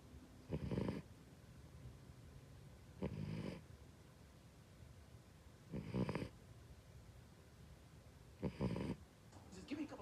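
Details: Three-month-old rescued Siberian Husky puppy, a pet, sleeping and snoring. Four low, rasping snores come at roughly two-and-a-half-second intervals. Quiet room sound and faint talk are heard between them.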